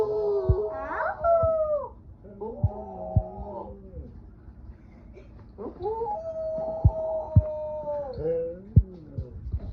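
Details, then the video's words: Dog Roofie giving a broken, wavering howl: short rising and falling tonal cries with a few longer held notes, mixed with soft clicks and thumps between phrases. "ROOFIE HOWLS"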